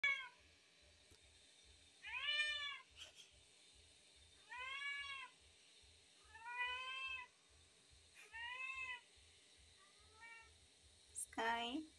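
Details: A hungry tabby cat meowing repeatedly indoors: five clear, drawn-out, slightly rising then falling meows spaced about two seconds apart, a shorter fainter one, then a sharp higher rising cry at the end, over a faint regular ticking.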